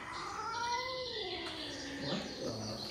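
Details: Angry-seeming domestic cat at a cat cafe, upset after entering a new room; a sustained wailing growl-yowl sinking gradually in pitch, ending in a lower grumbling tail, with faint room noise.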